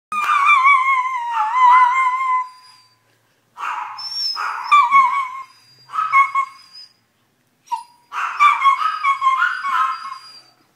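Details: A male Italian Greyhound in Colombia cries in long, wavering, high-pitched whines broken by short pauses, upset because his mini pinscher housemate was barking at the main door.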